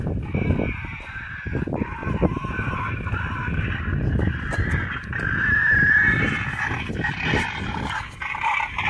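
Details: Wild boar call said to summon others to food, used by a boar hunter as a lure: rapid rough low grunts running throughout, overlaid by a harsher squealing band in the upper range.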